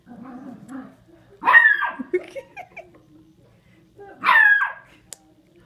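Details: Beagle dog giving two short high whines with falling tails, about three seconds apart, amid a woman's soft talk and low background murmur.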